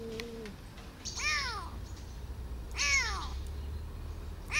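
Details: Rescued kitten, abandoned by its mother and grown up six months later, gives loud arching meows about every one and a half seconds, preceded by a brief low tone, with low hum underneath.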